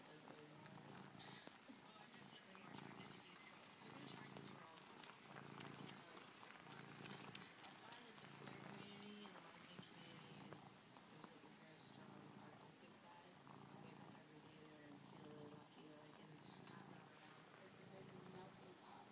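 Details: Female cat purring steadily while suckling and kneading her treasured blanket like a kitten: a low, softly pulsing rumble that rises and falls in rhythm, overlaid with light rustling and clicking noises.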